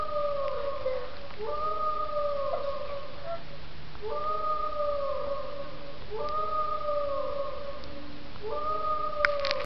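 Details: Pet dog named Marzo howling sadly in response to a played sound clip; long sustained howls about two seconds each, gently falling at the end, repeated about four times with short pauses between, over a low steady background hum.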